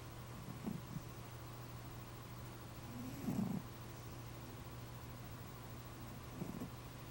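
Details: Chloe the cat asleep indoors, snoring softly: low rumbling breaths at about 0.7, 3.3 and 6.5 seconds over a steady low hum, quiet room otherwise.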